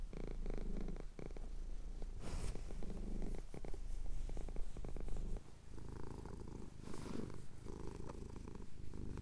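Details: Contented male cat having his chin scratched, giving a low continuous purr in breathing pulses, briefly interrupted by a soft rustle partway through.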